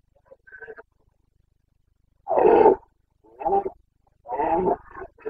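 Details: Carpathian red deer stag in Bucovina roaring during the September 2022 rut: a long, rough bellow followed by two shorter grunting roars, with soft faint calls before them and no other clear sounds.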